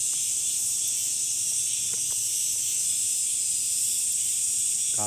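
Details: Summer cicadas keep up a loud, even, sizzling buzz, with a few faint ticks and a short burst of human voice at the very end.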